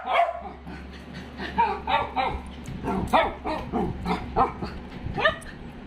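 A Dachshund barks in a quick run of sharp, yappy barks, about two each second.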